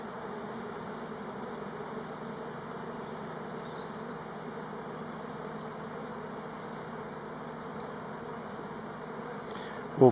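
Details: Many Elgon Buckfast honey bees on orientation flights, not swarming, at hives on Timrarö near Stockholm, make a steady, low, droning buzz that holds without a break.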